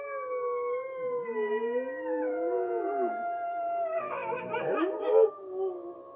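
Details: A Siberian Husky howls at wolves on TV, giving long, drawn-out howls that slide up and down in pitch. Several voices overlap, with a rougher, wavering burst near the end before the tones settle again.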